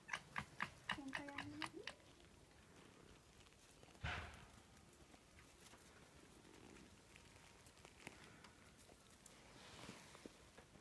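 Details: Foxes starting a fight in winter at Zao Fox Village, Japan: a short run of sharp yelps, then a drawn-out harmonic whine that bends upward at its end. After that it goes mostly quiet, with one dull thump and faint background murmur.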